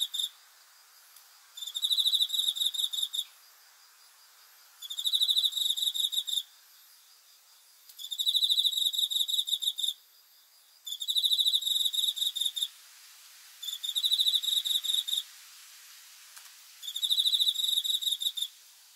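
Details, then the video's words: Night-time cricket song, recorded 5 August 2020 as a sleep-aid nature sound: six trains of fast pulsed high chirps, each lasting about 1.5 seconds, recurring every three seconds or so, with faint low hiss between. "귀뚜라미 소리 풀벌레 울음소리 수면 도움 자연의 소리 야간 곤충 우는 소리 잠오는 소리"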